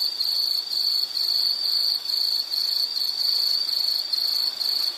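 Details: Insect sound played as a relaxing nature background: a shrill high trill broken into short regular pulses, roughly two per second, loud and steady with little else audible.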